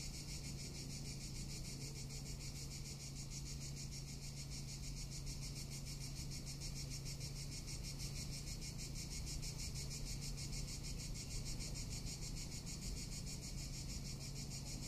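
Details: Tuscan summer cicadas produce a sustained shrill whirring, rapidly throbbing without pause, with a low steady drone underneath.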